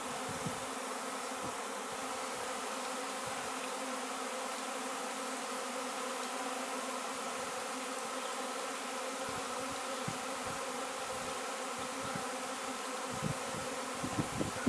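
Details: Bee swarm that had settled next door, being coaxed into a cardboard box after the queen was found, later moved to a new hive, 26 May 2013; dense, steady droning hum with layered low tones, unbroken throughout.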